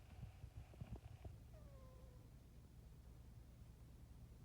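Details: Pet cat Gracie asleep, giving a soft squeaky snore: a few faint low thuds, then one drawn-out thin squeak that falls slightly in pitch, over a steady low hum.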